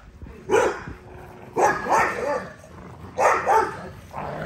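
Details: American Bully, an XL, exercising: three separate bursts of rough barks, each a double or triple bark with a slightly rising tone, spaced about a second and a half apart.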